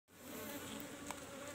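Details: Asian honey bees in beekeeping box number 17 during a honey harvest: a steady, even drone with a low hum and a higher overtone, holding unbroken throughout, with a brief faint click near the end.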